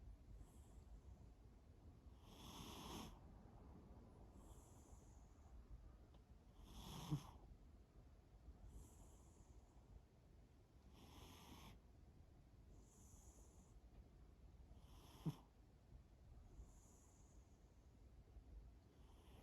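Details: Shimao the cat asleep and snoring softly, breathy rasping snores returning roughly every two seconds, alternating with a higher airy hiss on each breath, in a quiet room.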